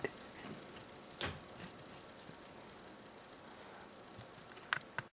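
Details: A quiet indoor room with a few sharp clicks and soft thumps from play, a faint steady hiss, and no animal voice.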